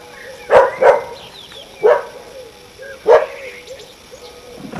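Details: A neighbour's dog barking at everything on a summer evening: four sharp, loud barks, the first two close together, then single barks about a second apart, over a faint steady background hum.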